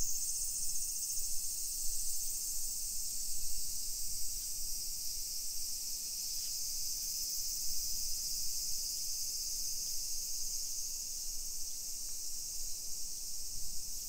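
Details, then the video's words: Cicadas singing at 1 PM on 28 July 2021 in a modern hillside suburb of Nisshin near Nagoya, Japan: an unbroken, piercing high buzz fills the whole stretch, steady in loudness, with only soft low rumble beneath. "Summer Cicadas Sounds"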